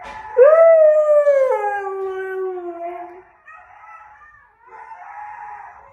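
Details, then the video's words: A Siberian Husky reacting to wolves howling gives a long, loud howl that rises briefly then slides slowly down in pitch. "Husky reacts to wolves howling - Coda the husky"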